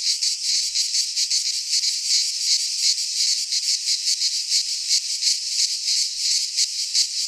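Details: In a Greek pine forest at midsummer, many cicadas sing together: a high, rasping wall of sound with regular rhythmic throbs, constant and uninterrupted.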